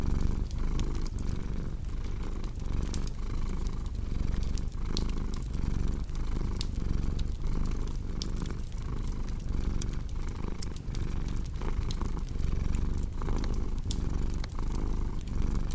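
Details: Domestic cat purring steadily in a low, continuous rumble with faint rhythmic pulsing, mixed with the sharp pops and snaps of a crackling fireplace throughout, in a relaxing ambience.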